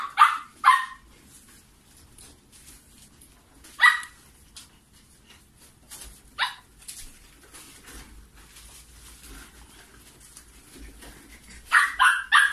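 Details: Maltipoo puppies, one of a litter of five siblings, letting out short sharp high-pitched yaps in scattered bursts, two quick ones at the start, single barks in the middle and a rapid cluster at the end, with quiet rustling between.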